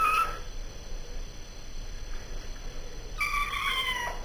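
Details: Pet cat in the bath: a brief meow opens, then after a quiet stretch comes a longer, clear, tonal meow that slides downward, with a faint background hiss.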